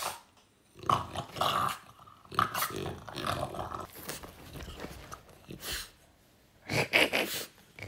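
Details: French Bulldog play fighting indoors: short bursts of growls mixed with harsh, noisy grunts and scuffling, separated by brief quiet gaps, with a few squeaky tones near the end.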